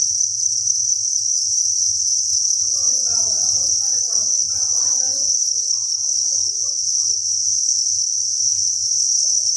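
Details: Crickets massed in a breeding facility on a cricket farm keep up a steady, piercing high chirring chorus, with a low mechanical hum underneath and a brief faint voice-like murmur in the middle.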